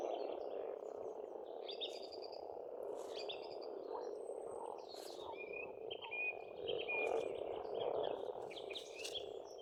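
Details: A spring frog chorus at a pond in Estonia churns on without pause while several birds sing around it, with chirps, trills and sustained whistles, busier toward the end.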